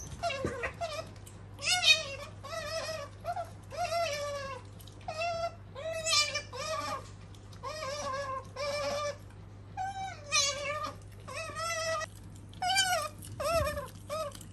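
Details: Female otter named Sakura, kept as a pet, chirps and squeals in a long run of short, bent, harmonic-rich notes, about two per second, with brief pauses and a constant low hum beneath.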